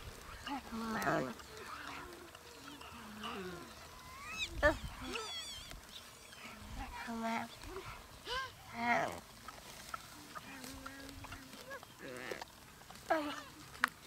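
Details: Wild gelada baboons in the Simien Mountains, Ethiopia, filmed in October–November: a busy mix of varied calls, with grunts, rising and falling wavering notes and higher squeals overlapping from several animals, in open outdoor air.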